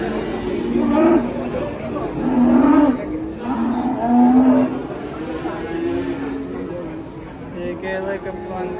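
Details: Cattle being unloaded from a truck, giving long low drawn-out moos, two clear ones of about a second each near the middle, over a background of people chattering and music.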